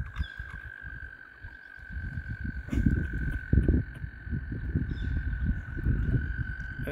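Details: Mating frogs crowd around a kayak on the water, many calling at once: a dense, low, rumbling croak chorus of overlapping pulses that swells louder after the third second, with a steady high whining tone running underneath.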